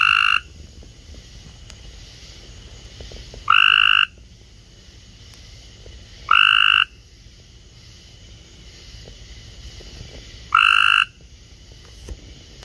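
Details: Cope's gray treefrogs calling loudly in a kiddy pool give short, harsh, buzzy trills, each about half a second long, spaced a few seconds apart. Cope's gray treefrog.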